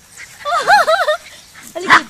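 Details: Brazilian Terrier, also called Fox Paulistinha, at a kennel in Joinville, Santa Catarina, Brazil: a wavering, rising-and-falling whimper of about three pulses, then a short sharp yip.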